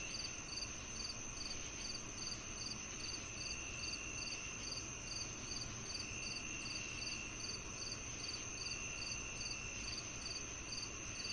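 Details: Crickets chirping for tinnitus sound therapy: short high chirps repeat steadily, about two to three each second, over a constant high insect drone and a soft broadband hiss throughout.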